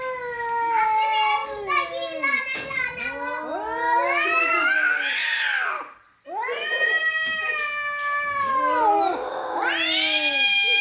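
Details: Pet cats quarrelling with each other: a continuous stream of yowling caterwauls, bending up and down in pitch, broken by one brief pause before more long, complaining howls.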